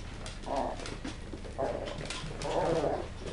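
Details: Three drawn-out, mid-pitched whining calls from West Highland White Terrier puppies at a kennel, each about a quarter second long and spaced roughly a second apart, over a steady indoor hum.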